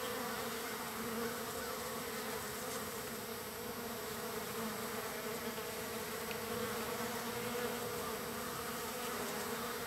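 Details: Wild bees crowding in on the third day of feeding, giving an unbroken, steady swarm hum of low buzzing from many insects together, nearly level in loudness throughout.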